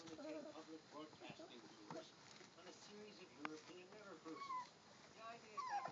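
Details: Three-week-old German Shorthaired Pointer puppies playing: a busy jumble of high whimpers, squeaks and short yips, some rising and falling, overlapping in quick succession.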